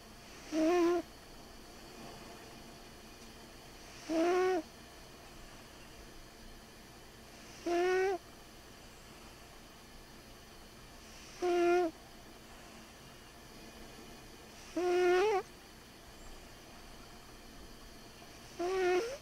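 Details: Sleeping cat snoring quite loudly: a whistling, nasal tone rising in pitch with each breath, repeated about every three and a half seconds over a quiet background.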